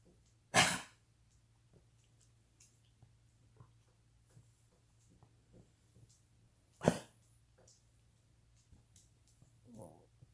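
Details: A Cavalier King Charles Spaniel with degenerative valve disease, an enlarged heart pressing on the trachea and intermittent lung fluid, gives two harsh, explosive coughs several seconds apart, then a softer throaty sound.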